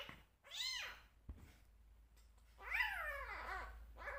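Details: Rescue kitten meowing while being bottle-fed indoors: a short arched meow, a sharp knock, then a long, drawn-out descending meow and the start of another, over steady background hiss.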